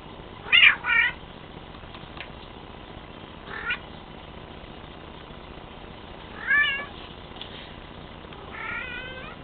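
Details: Bengal cat, a male, giving a run of meows: a quick pair of sharp mews, then a brief chirp, a louder rising meow and a final stretched mew, with constant low hiss behind.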